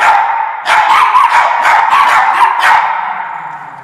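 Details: Norfolk Terriers chasing an orange fox, giving a dense run of sharp, overlapping barks and yips with a steady harsh hiss underneath, fading toward the end.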